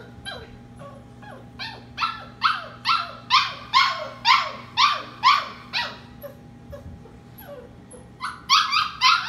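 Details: Bedtime puppy crying from a kitchen holding 15 sleeping puppies while dishwasher and washing machine run: a long run of loud, descending yelp-whines about twice per second, a short pause with soft squeaks, then the cries resume.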